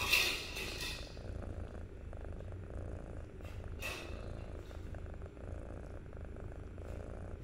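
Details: A kitten at 63 days old purrs in a soft, even rumble after a sharp rustle at the start, with another brief scrape near the middle.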